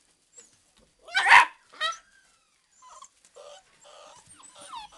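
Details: Old English Sheepdog puppies at play: a loud, harsh bark and a second shorter yap, then a series of thin, high, bending whines and squeaks.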